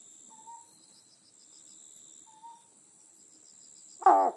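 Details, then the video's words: Night recording from Amami Oshima of the endemic, protected Otton frog: quiet whistled notes and a thin insect trill, then one sudden, loud, harsh croak bursting in at the very end. "オットンガエルの鳴き声 Sound of Otton Frog"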